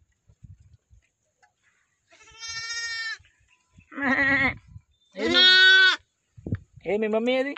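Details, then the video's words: Day-old lambs bleating in a village: four separate calls over a few seconds, the first steady and high, the later ones harsher and rising, with quiet pauses between them. "Baby Sheeps real sounds"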